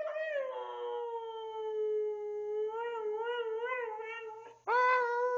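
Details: Indoor howl from a 12-year-old Siberian Husky asked to speak: one long sustained tone that sinks slightly, then wavers in gentle pulses before a louder renewed howl at the end.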